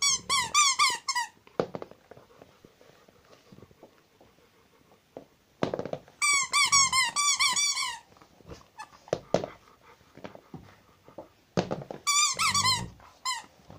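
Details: Pet Rottweiler named Zhenya, kept at home, whining in three bursts of high, wavering, nasal squeals, each about one to two seconds long, separated by quiet stretches with soft knocks and shuffling.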